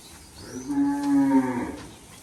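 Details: Water buffalo on a farm herd of about 20, many young, kept in mud where they lie comfortably; a single drawn-out low moo about one second long with steady tonal harmonics, rising slightly in loudness midway, against faint background hiss.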